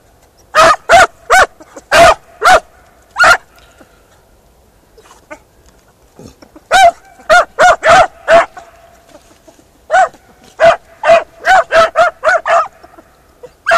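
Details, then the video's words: Beagle Harrier hound working a ploughed field, giving bursts of sharp, ringing barks: a cluster of six early, a quiet gap, then two long rapid runs of a dozen-plus yelps. The background is otherwise quiet. "beagle harrier in arato"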